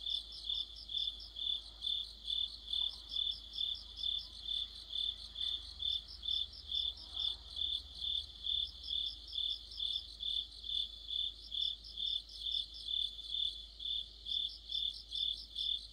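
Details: Crickets with other insects singing together in deep autumn, a dense orchestra of regular high chirps around two per second, overlaid by a faster stuttering trill that comes and goes in short runs.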